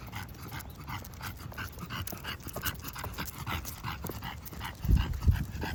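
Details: English bulldog breathing heavily during a walk: rapid snorty pants roughly three per second, with two low thuds like footsteps near the end and a steady background rumble.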